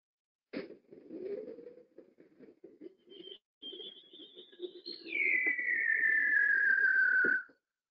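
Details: Underwater recording of a bearded seal: a high, warbling whistle slides downward in a long swirling sweep over low pulsing groans.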